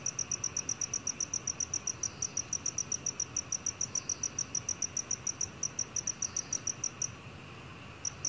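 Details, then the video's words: Black cricket from a 2020 National Institute of Biological Resources recording: a rapid series of high, clear chirps, about four per second, holding steady for seven seconds, then a short pause before the chirping resumes. "검은귀뚜라미, 여러번 듣기, 곤충소리"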